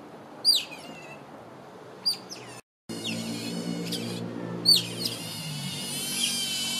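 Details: Asian small-clawed otter begging: short, high, sharply descending squeaks given singly at irregular intervals of about two seconds over a steady low hum and background noise.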